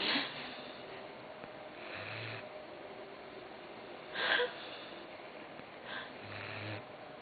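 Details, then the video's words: Croqueta the dog asleep, giving softer, wheezy snores with low humming breaths and one sharper snort-like burst, spaced a couple of seconds apart against a quiet indoor background. "Roncando Croqueta"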